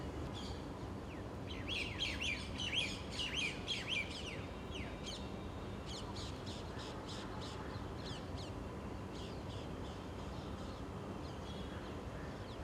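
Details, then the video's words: Squirrel, called gilheri, in a public park in South Delhi, India, squeaking loudly while flicking its long fluffy tail; sharp high chirping squeaks come in rapid bursts, densest early on and fading into scattered calls over steady background hum. "Gilheri or Squirrel makes clear squeaking sound"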